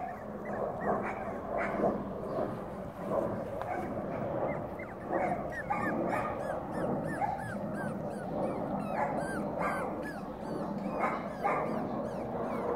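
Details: Five-week-old Cavalier King Charles Spaniel puppies from a black litter whimpering together: a steady overlapping stream of short high whines and yips, many falling or hooked in pitch, with barely a pause throughout.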